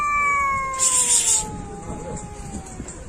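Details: Pet cat producing one prolonged, wavering meow that slides slowly downward in pitch over three seconds, interrupted early by a brief burst of hissing noise, with faint background rumble throughout.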